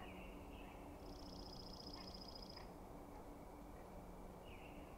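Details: At night, the bull elk called the Sheriff meets a rival bull's challenge among several other bulls. One long, high, buzzy whistle with a rasping pulse lasts over a second, with brief lower gliding notes before and after, against a constant low hum.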